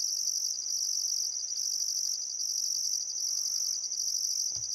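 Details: Sunset cricket chorus at Welford National Park on the Barcoo River, Outback Queensland, in summer; a bright, sustained trill rising and falling in rhythmic bursts, with a brief low thump near the end.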